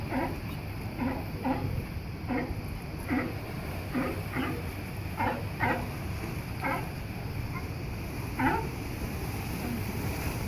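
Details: Sea lions barking at La Jolla Cove, San Diego, California: repeated short hoarse barks, some in quick pairs, over a steady loud roar of surf and wind.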